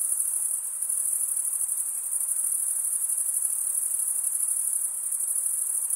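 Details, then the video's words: Chirping of crickets, the wing-rubbing stridulation of males, heard as a dense, constant high shimmer with a faint pulsing texture and nothing else audible. "Most relaxing cricket sound for 8 hours"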